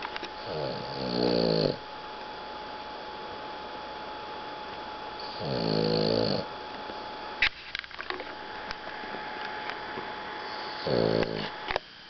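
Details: A Boston Terrier napping after playing in the hot sun gives three loud, rattling snores roughly every five seconds, each a throaty, pulsing inhale, over a steady electrical hum and faint clicks and handling noises in a quiet room.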